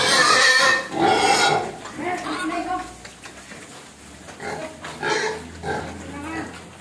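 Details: Hungry pig crying for food, with a loud harmonic squeal at the start followed by shorter, softer squeals and grunts, and human voices mixed in.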